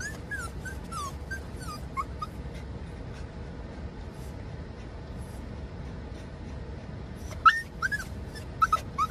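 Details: Excited Doxiepoo Raku, a Dachshund-Toy Poodle cross, keeps crying in courtship while following dad on a drive. Thin, high, arching whimpers come in short bursts, separated by a quiet stretch of low car hum, then a sharper cluster of yelping cries.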